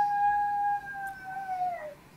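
A domestic dog gives a long, steady, tonal howl that drops slightly in pitch at the end.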